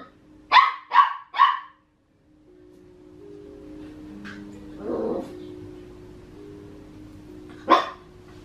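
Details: Max, a Papillon puppy aged 14.5 weeks, barks while wanting to play with Tiger, the household's Maine Coon cat: three quick sharp yaps in a row, a soft muffled sound, then one more bark after a pause, over a low steady hum.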